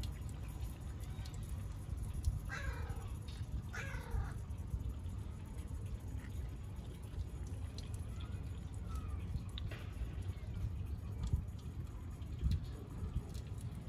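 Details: Female stray cat in a park in Antalya, Turkey, meowing to ask for a street water tap to be opened; two clear drawn-out meows, rising then falling, about two seconds apart, over a low steady rumble of running water and park ambience.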